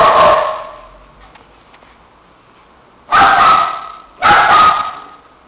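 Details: Pair of shih tzus romping together until dishevelled; three loud, sharp, high barks ring out, one at the start and two close together after three seconds, separated by a quiet stretch.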